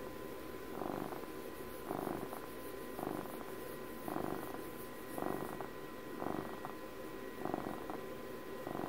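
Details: Domestic cat Puppy, age twelve, purring contentedly near the microphone: regular rumbling swells about once per second, soft breath-like texture between them, a faint high hiss early on and steady background hum.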